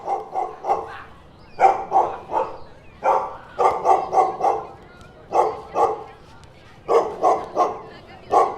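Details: Dogs and puppies barking in short clusters of three to five mid-pitched, hoarse barks, each cluster separated by brief pauses, repeated throughout.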